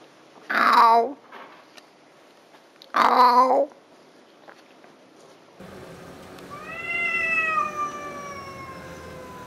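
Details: Red tomcat on Spetses, Greece, defending his territory: two short wavering meows, then a long, steady, drawn-out yowl that holds its pitch for several seconds.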